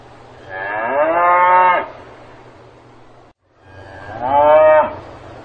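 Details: A cow on a farm moos twice, each call a rich harmonic bellow lasting over a second, separated by a brief silence, over a faint background hum.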